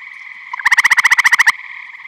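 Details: Eastern gray tree frog calling from a vernal pond in Michigan in spring or summer: a loud, musical trill of about twelve rapid pulses lasting under a second, over a steady background chorus of other trilling tree frogs.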